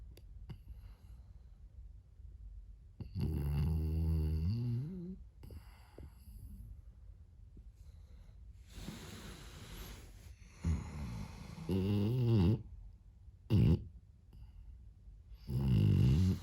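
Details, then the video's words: Sleeping French Bulldog puppy Moto-Moto giving loud, gurgling, rattly snores in irregular bursts, some drawn out over two seconds and others short snorts, between stretches of soft breathing in a quiet room. "Snoring french bulldog."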